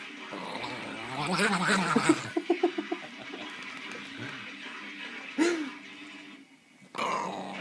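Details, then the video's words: Excited pet dog getting hyped up indoors, making low growling rumbles, then a quick run of short yips and a rising-falling whine, with a burst of noise at the end. "Funny dog noises"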